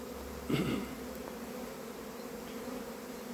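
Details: Honey bees in the mountain countryside of northern Iran buzz steadily, with one bee passing close in a brief, louder drone.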